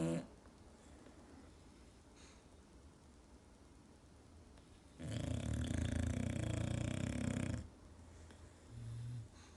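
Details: Sleeping English Bulldogs snore like old men: after a quiet stretch, one loud, rasping, rumbling snore lasts about two and a half seconds, then a short, softer low snort follows in a small indoor room.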